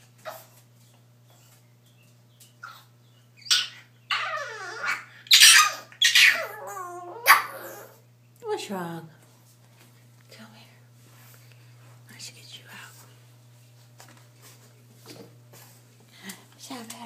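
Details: French bulldog puppy crying in a bath tub indoors, giving a run of high, wavering whines and yelps in the middle, then quieter scattered whimpers, with a steady low hum throughout and speech nearby.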